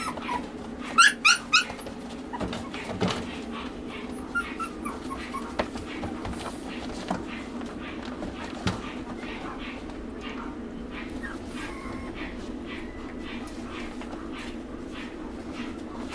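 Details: Shiba Inu dog giving a few short, high, whining yelps close together early on, then softer scattered whimpers over a steady hum of background noise.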